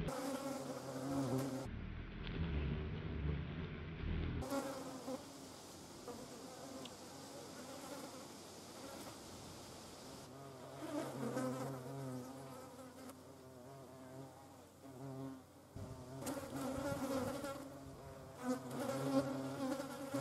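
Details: Hornet hunting carrion flies in the Eifel, Germany: a low droning wingbeat hum with fluctuating pitch, swelling and fading as the insects fly about, with brief bursts of louder rumbling.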